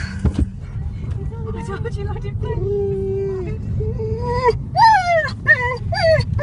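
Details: Dog crying in a car: a thin, level whimper held for a moment, then sharper, higher yelps that bend downward, over continuous low engine and road noise.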